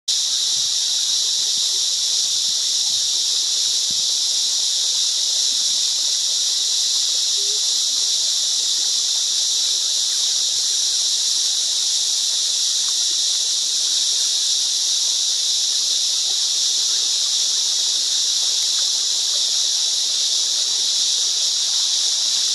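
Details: Cicadas in the Australian bush: a dense, unbroken high-pitched buzzing drone holds steady at the same loudness throughout, with no pauses or rhythm changes and no other clear sounds.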